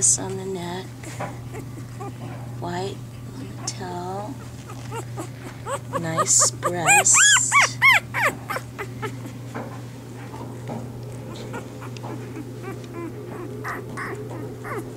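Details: Bernese Mountain Dog pups in their first three days, with the mother Bear still delivering the litter: a run of rising-and-falling arched cries builds to loud, high squeals midway, with voices and a constant low electrical hum behind.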